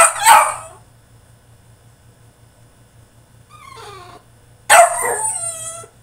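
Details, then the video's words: French Bulldog in his cage during a tantrum: one sharp bark, a soft falling whimper, then a long harmonic wailing howl that slowly descends, with a low background hum. "FRENCH BULLDOG THROWS TANTRUM IN HIS CAGE!!"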